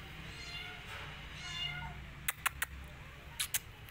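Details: Faint, wavering kitten meows from rescued kittens tucked inside a jacket, followed by sharp clicking and rustling knocks.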